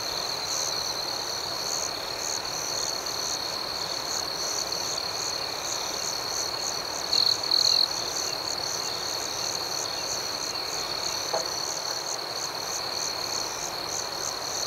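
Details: Nighttime cricket chorus: a continuous shrill drone with soft rhythmic pulses overhead, and one brief, louder trill near the middle; no other sounds stand out.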